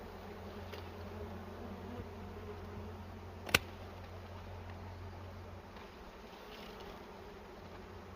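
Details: Honey harvest from a bee nest in a cashew orchard: a steady deep hum from the bees for most of the stretch, broken by one sharp click midway, the buzzing fading in the last seconds.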